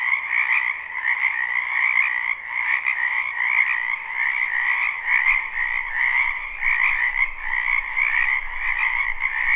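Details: Many frogs croaking at once in a wetland during spring, recorded live without looping: unbroken pulsing trills at two pitches, with a soft low rumble entering in the second half.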